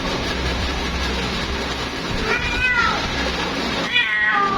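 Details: A female cat calls out for her mate, giving two long meows in the second half, each sliding upward then down, against constant loud background hiss.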